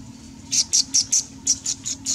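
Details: Macaques in a monkey group with babies; eight short, shrill squeaks come in two quick runs of four, each about a quarter second apart, over a low steady hum.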